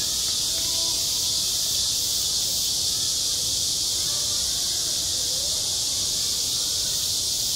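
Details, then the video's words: At a school playground in summer, cicadas keep up a loud, continuous, shimmering buzz high in pitch, steady throughout with only faint murmurs underneath. "매미 울음소리"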